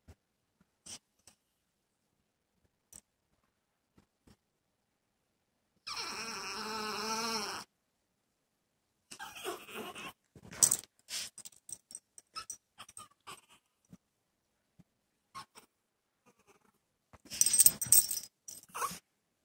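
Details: Male dog separated indoors from a female in her second week of heat gives one long, quavering whine, followed by scattered clicks, rustles and jingling sounds and pauses.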